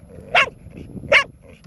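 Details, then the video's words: Bear, a four-year-old female pet dog, barks nearly nonstop, possibly taunted by her owner; two sharp barks about 0.8 seconds apart, with quiet background between them. "4 year old dog, voted most annoying 3 years running."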